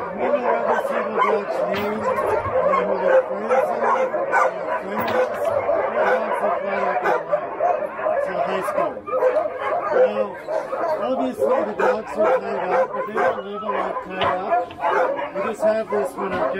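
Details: Many Alaskan Husky sled dogs tied up in the yard at Snowhook Adventures in Willow, Alaska, make a dense, continuous chorus of overlapping barks, yips and howls, with human voices mixed in throughout.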